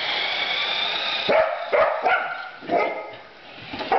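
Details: Female Border Collie at Christmas, first time playing with a new remote-controlled truck toy, with no sheep to herd; a few sharp barks and yips in quick bursts over steady background noise.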